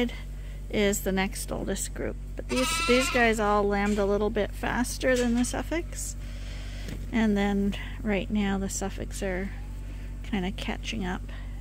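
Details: Lambs being bottle fed at Ewetopia Farms on a hand-made feeder give a dense chorus of bleats, short quavering cries and longer drawn-out calls overlapping throughout, with a steady low hum underneath.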